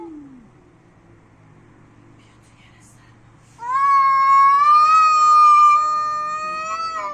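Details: Angry domestic cat during a fight: after about three seconds of near silence, a loud sustained yowl begins, a drawn-out harmonic wail holding a steady pitch for over three seconds before slowly fading.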